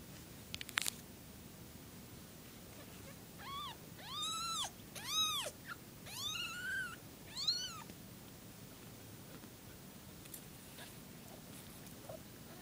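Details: Foster kittens mewing in a quiet room: a run of five thin, high, arching meows in quick succession over about four seconds, each rising then falling, against a soft steady background hiss.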